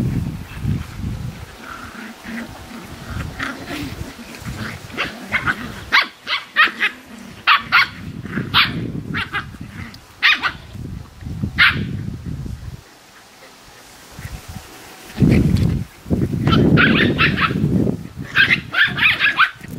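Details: Australian Terrier puppies at play with their mom: low grumbling growls interspersed with sharp high yips in quick irregular bursts, a short quiet pause, then renewed growling and yapping.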